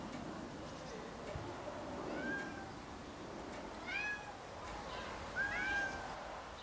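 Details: Rags, a cat left alone in the garden while Snow White goes for a walk, cries with three short, high, arching meows near seconds two, four and five and a half, over a steady low background hiss.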